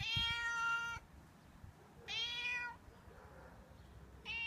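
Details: Male stray cat that lives outdoors meowing to ask for milk and food; three bright, drawn-out harmonic meows, each near a second long, spaced about two seconds apart, with a quiet background.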